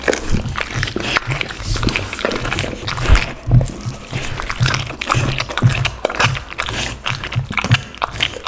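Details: Pit bull eating raw chicken, duck and cauliflower for lunch. Continuous close-up crunching, bursts of sharp cracks and moist smacks, a few louder bites standing out.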